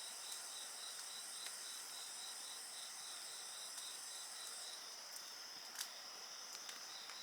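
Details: A dense wall of shrill insect song, several steady trills plus one rapidly pulsing line, continues unbroken while a wood fire pops now and then, one louder crack near the end.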